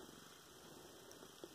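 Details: Pet cat Luna enjoying a tummy scratch gives a low, rapidly pulsing purr, a continuous throaty rumble over faint background hum, recorded November 10, 2016.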